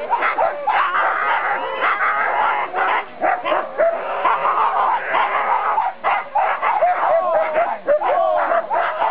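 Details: Siberian Husky sled dogs at the 4 dog class start, 2008 NSW Siberian Husky Club Sled Dog Shield, Grabine Lakeside Park; steady clamour of overlapping yips, short rising whines and barks from multiple dogs, briefly easing a few times.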